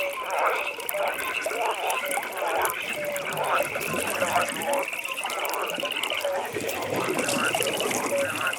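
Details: Frogs calling at a pond on an evening night, a dense chorus: steady rapid trilling high up, short mid-pitched notes every couple of seconds, with rushing, watery background noise.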